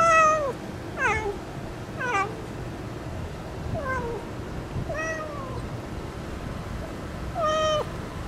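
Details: A stray cat calling sweetly as it approaches to kiss, giving six clear meows about once a second. Some rise sharply, others slide downward, with rich overtones over a quiet, steady hum.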